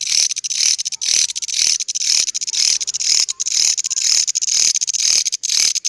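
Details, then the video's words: Grasshopper with an odd-sounding call: loud, dry, high rasping pulses, about two bursts per second, in a steady rhythmic series with brief gaps between them. "Belalang Bersuara Aneh"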